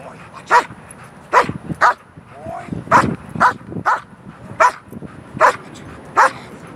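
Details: Irregular single barks from a protection-trained dog during a control exercise, spaced unevenly with softer sounds and a man's voice between them.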